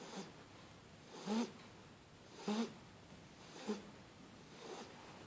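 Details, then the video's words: Shar Pei puppy snoring while asleep on a blanket; soft rhythmic snores, each breath a short rough snort about every 1.2 seconds, over a quiet hiss. "Snoring puppy Starbucks (shar pei)"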